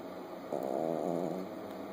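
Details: A sleeping Chihuahua puppy, eyes open, gives one drawn-out rasping snore of nearly a second, which fades into softer breathing against a constant background hum.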